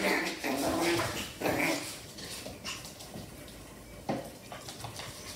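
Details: A Miniature Schnauzer and a Havanese puppy at play. Short whining, growling bursts come in the first two seconds, then scuffling and quieter sounds, with brief German speech.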